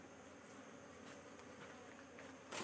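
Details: Honey bees buzzing around a comb where a new cell is being built and then removed; a steady drone with a few soft ticks, ending in a sharp handling noise.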